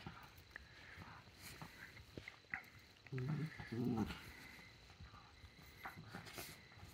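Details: A hiding Pembroke Welsh Corgi gives two short, deep barks in quick succession.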